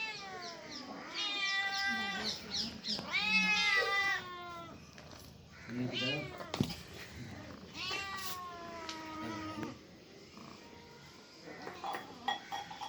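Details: Cats and kittens calling with a string of loud, wavering meows, some long and sliding downward, others short, mixed with a few sharp knocks and people chatting nearby.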